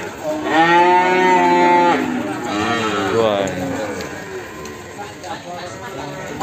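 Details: Limousin cattle in the morning at Ambarketawang, Sleman: two clear, loud moos, the first steady and about one and a half seconds long, the second shorter and wavering. Human voices follow in the background.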